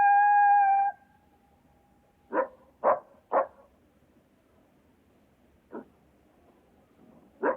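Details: A coyote (Canis latrans) gives a brief steady howl, then a string of short, sharp yips and barks.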